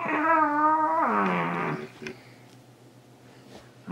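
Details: Almost two-year-old Shiba Inu boy named Lego chasing socks. He gives a loud, sustained howling cry that holds steady, then slides downward and fades into a rough, breathy tail, followed by near quiet with small knocks.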